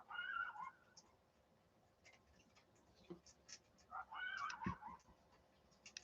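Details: Coyotes outside at night, loud and close, give two bursts of high, wavering yips and quavering howls, heard from indoors.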